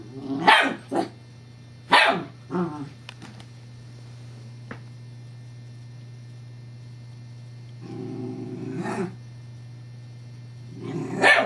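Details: Evangeline the Scottish Terrier plays with her teething pacifier, whose middle disc rolls. Quick sharp barks and grumbles come early, then a lull, a sustained growl around eight seconds and a closing loud bark, over a low hum.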